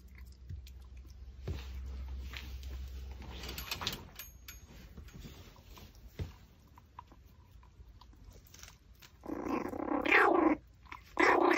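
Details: Pomeranian dog eating a raw pork backbone, with soft clicks and chewing noises through most of the recording, then two louder, strained, harmonic whimpering bursts near the end, indoors.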